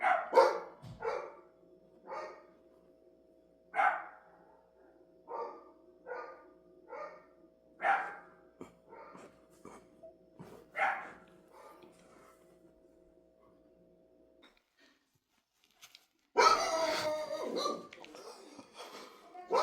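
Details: Dog giving a long run of short, sharp barks at an uneven pace, then a pause, then a burst of louder, harsher barking; a steady hum sounds underneath.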